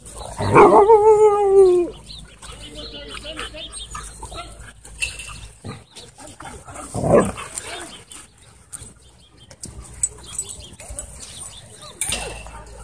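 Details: Play-fighting Siberian Huskies at a dog park: one lets out a loud, harmonic, wavering howl-like whine for over a second, then softer grumbles and a second throaty outburst near seven seconds, with faint human voices behind.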